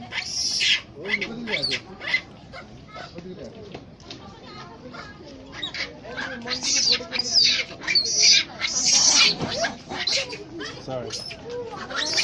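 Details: Fighting monkeys at Kathmandu's Swayambhunath monkey temple, Nepal, let out bursts of piercing, high squealing screams, irregular and roughly one per second, loudest midway; human voices murmur in the background.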